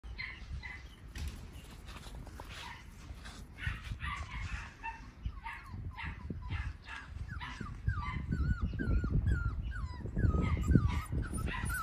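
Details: A Goldendoodle puppy from a Standard Poodle mother and a Golden Retriever father gives quick, high whimpers and yelps over a low rumbling background.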